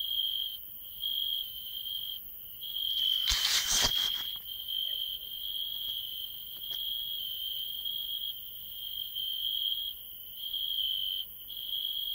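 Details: Field cricket (Gryllus campestris), chirp.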